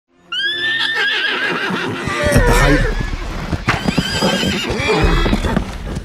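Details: Wild horses fighting in open nature, a loud wavering whinny rising and falling over the first two seconds, then continued harsh squeals and neighs amid scuffling and hoof noise, with background music throughout.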